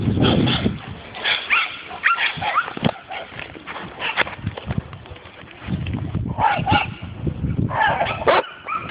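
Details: Dog barking during its first meeting with a wild boar: loud, harsh barks in bursts, with gaps and quieter stretches between volleys. People talk in the background.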